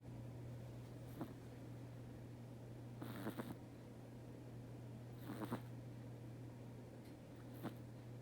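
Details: Domestic cat sleeping indoors, snoring softly: breathy, noisy bursts roughly every two seconds, some louder than others, over a steady low electrical hum in a quiet small room.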